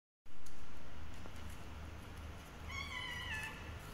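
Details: A cat said to be hungry and wanting food gives one drawn-out, slightly falling meow near the end, over steady low rumbling background noise.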